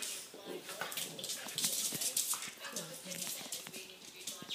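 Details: Ten-week-old boxer puppy at play with a Jack Russell Maltese cross: short whimpering, growly vocal bursts over scuffling, paw clicks and human voices.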